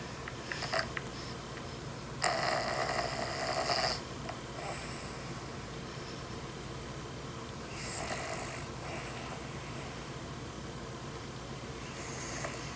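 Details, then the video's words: Snoring dog that wakes another dog: irregular rough, breathy snore bursts over a steady low background hum, the loudest around two to four seconds, fainter rasps later. "Dog Gets Woken Up by another dogs snore"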